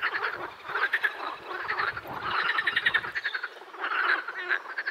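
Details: Edible frogs quacking together, dense rattling croak series swelling in waves, some low thumps underneath.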